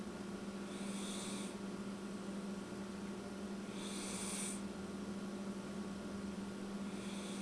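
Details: Sleeping house cat named Spain snores with soft, breathy rasps roughly every three seconds, two full breaths and the start of a third, against a steady background hum.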